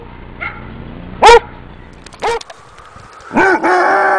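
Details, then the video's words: Basset Hound giving scattered single barks, the last one drawn out into a longer bay, over a low steady background hum. "Basset Hounds Making Sounds"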